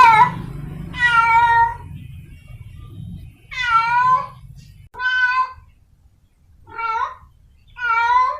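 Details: Wild cat in heat seeking a mate: irregular meows of varying length, some long and wavering, others short and sliding, with gaps of up to two seconds and a low hum early on.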